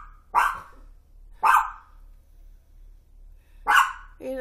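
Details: Toy fox terrier roused at 1:26 am by a crash that shook the house, giving three sharp barks with long pauses between them, followed by a brief human voice.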